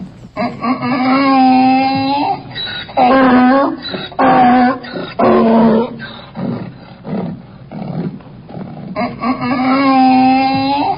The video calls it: funny donkey sounds